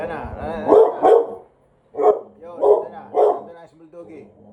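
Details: Bulldog barking at someone passing by: a pair of short, throaty barks, then three more evenly spaced about half a second apart, with a quieter voiced sound trailing at the end.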